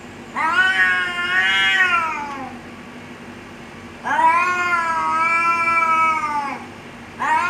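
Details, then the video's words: Fighting cats threatening one another: two long, rising-and-falling caterwauls of about two seconds each, separated by quiet gaps, with a third cry starting at the end. "แมวกัดกัน เสียงแมวขู่กัน"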